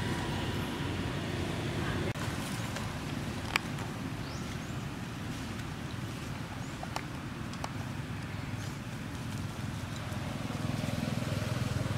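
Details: Steady low engine rumble and wind noise with a few faint clicks; no clear animal calls.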